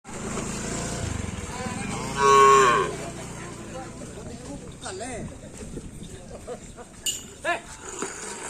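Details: Cattle at karapan sapi racing practice on the Asemanis field, Pamekasan: one loud, drawn-out, tonal moo lasting about a second amid steady crowd and engine background noise, with scattered clicks and voices afterwards.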